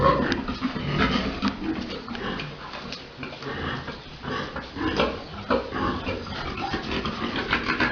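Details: Domestic pigs, a big boar mating a sow during breeding at Dusama Farms, give rough, broken grunts in a noisy barn, with bursts of low noise between calls.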